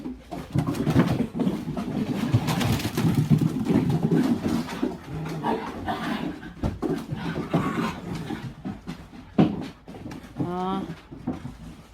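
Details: Three-month-old puppies romping indoors, low rumbling play growls rolling through most of the stretch amid scuffling thumps, then a brief rising, harmonic whine near the end.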